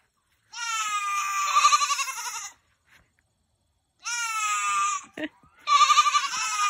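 A Nigerian Dwarf goat gives long, wavering, nasal bleats with a shaky tremolo.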